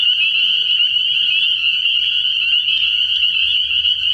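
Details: Spring peepers chorusing at night in early spring at a frog pond: a dense, unbroken high-pitched band of overlapping shrill peeps holds steady throughout, with a faint low rumble beneath.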